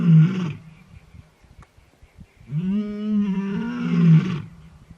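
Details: A young male lion just over two years old, looking for his sisters, gives deep, drawn-out roars before sunrise on a winter morning at Welgevonden Game Reserve in the Waterberg: a short burst, then a long rising moan.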